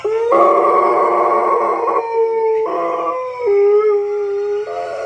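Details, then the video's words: An eight-month-old Golden Retriever howls at sirens playing in a video he is watching, giving long, drawn-out howls that waver and slide in pitch. "Golden Retriever Howls at Sirens"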